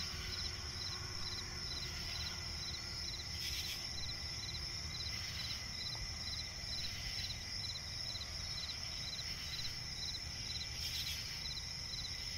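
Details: Crickets chirping at night in a swamp forest: short, even pulses repeated about twice a second over a constant high-pitched ringing drone, with a few brief hissing bursts and a low background rumble.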